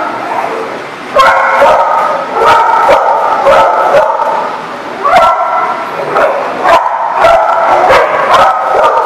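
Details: A pack of dogs barking on December 22, 2018: a quieter opening gives way to a burst of loud, rapid barks coming in irregular clusters, with continuous background yelping throughout.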